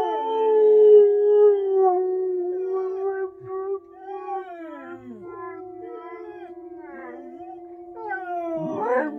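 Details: A Samoyed and a Husky howl along with sounds on the TV in long, wavering tones that slide and overlap.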